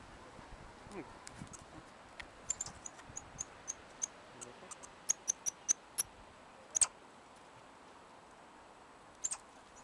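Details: Goeldi's monkey being fed, giving a run of very high, thin, sharp chirps and squeaks, singly and in short bursts, with faint background noise.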